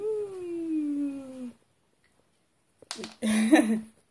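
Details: Peppe, a Shedoros Maine Coon cat, gives one long, steady, slowly descending meow indoors, followed by silence and then a burst of rustling with a short muffled vocal sound.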